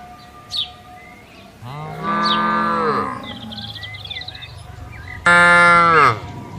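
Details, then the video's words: Herded cattle loose on a wide grazing field; two strong, drawn-out moos, the first gently rising and the second louder and falling, with scattered bird chirps between them. "bunyi sapi lembu lucu"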